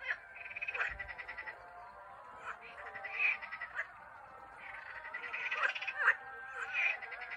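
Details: Frogs in Turkey calling in chorus; overlapping nasal, pulsed croaks with a rattling buzz, several voices running together with barely a pause throughout.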